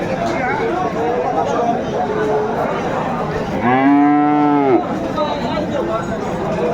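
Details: Friesian or crossbred bull calf at Aftabganj cattle market, Dinajpur, Bangladesh, on 24 April 2024, giving one loud, drawn-out moo of about a second, rising then falling, amid a busy background of crowd chatter.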